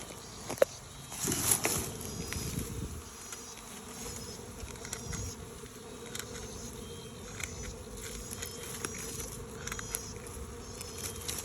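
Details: Swarming honey bees flying from an old hive box to a new box, a continuous droning buzz throughout, briefly louder near the start, with thin high twittering and light ticks in the background.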